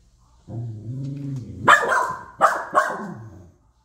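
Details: Corgi unhappy about a raccoon visitor eating cat food: a low steady harmonic growl for about a second, then two or three loud, sharp barks with growling between them.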